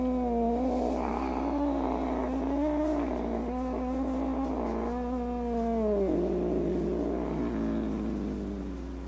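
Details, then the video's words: Cat producing a wavering, moaning caterwaul that rises and falls in pitch over several seconds, breaking into a lower warble near the end, over a steady low background hum. "Cats Who Make Funny Noises"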